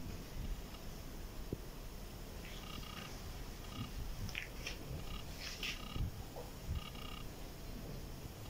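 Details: Domestic cat, a little one playing with its older sibling indoors, purring as a dense continuous low rumble, with brief soft rustles and faint higher clicks on top.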